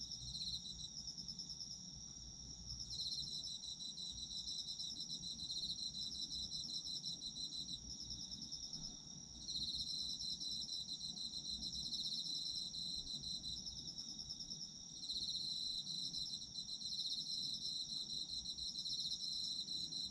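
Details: A chorus of Japanese autumn insects: continuous high-pitched ringing trills from several callers. The whole chorus briefly drops out near three, nine and fifteen seconds, then resumes at full strength, with a soft low background hum.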